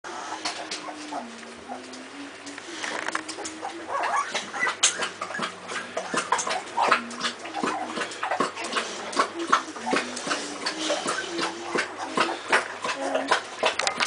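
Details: Two-week-old Bullmastiff puppies from a litter, whimpering in a low, sustained, slightly wavering tone that rises and dips repeatedly, amid steady rustling and shuffling noise.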